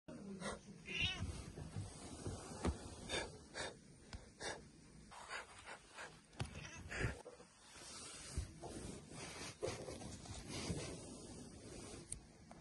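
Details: Ginger domestic cat, described as an evil tiger, voicing a string of rough, noisy bursts and drawn-out harsh wails, rising and falling unevenly over about twelve seconds with short pauses, recorded indoors with some background rustling.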